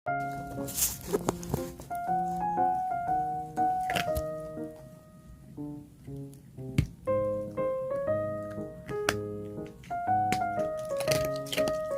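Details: Piano music with layered keyboard chords and a steady melody, with occasional soft thunks in a small indoor room and no animal voice.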